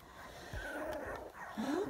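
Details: Sandstone Dachshund puppies, 23 days old, indoors; a faint, thin whine slides upward in the last moments, with soft, wavering whimper tones earlier over a quiet room background.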